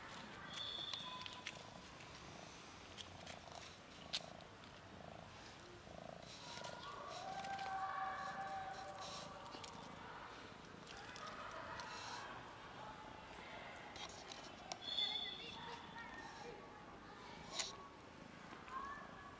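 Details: Cats from a friendly cat family, one other cat shy and scared, give faint, drawn-out tonal meows of mid pitch around the middle of the recording, over steady background hiss and scattered clicks.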